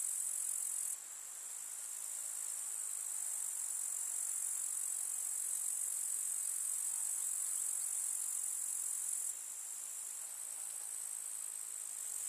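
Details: Grasshoppers in a summer meadow among wildflowers, a countryside setting: a dense, steady high-pitched insect trill runs unbroken throughout, with brief abrupt shifts in loudness near the start and end.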